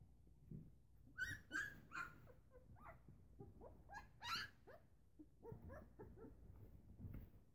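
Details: Eleven-day-old Newfoundland puppies at morning feeding, sensing their mother nearby: high squealing whimpers with wavering harmonics, short cries of about half a second coming in bursts, over low rustling and shuffling.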